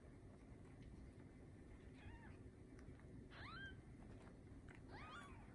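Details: Newborn Bengal kittens born 7/15/19 to Lisa, a TICA-registered Bengal queen with seven kittens: three brief, high, downward-curving mews spaced about a second apart, with a faint steady hum behind.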